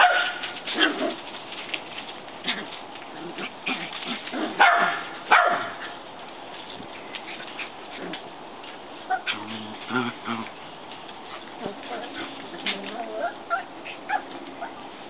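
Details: Shetland Sheepdog puppies outdoors giving a string of short, high yips and whimpering cries, several overlapping, with louder bursts near the middle and a few lower barks later on.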